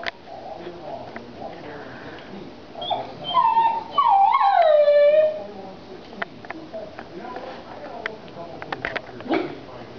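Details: Pet dog reacting to a ringing phone with a short howl: a rising whine then a wavering, falling tonal cry of about two seconds, among household clatter and background noise.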